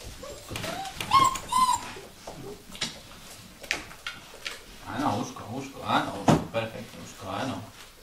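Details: Vizsla puppies indoors giving thin, high whining whimpers that waver near the start, then softer, rougher murmuring whines later, with human speech mixed through and light knocking sounds in a small room.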